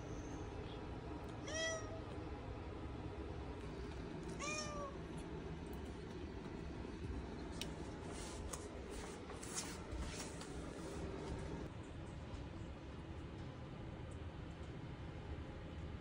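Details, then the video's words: British Shorthair kitten meowing to beg to be let outside, at home in a building. Two short, rising-then-falling meows about three seconds apart, over a steady low hum and faint clicks. "Cute British shorthair kitten begging to go outside"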